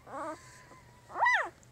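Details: Newborn puppy of Jig's litter, three days old, with a short flat whimper, a pause, then a louder high squeal that climbs and drops in a smooth arch.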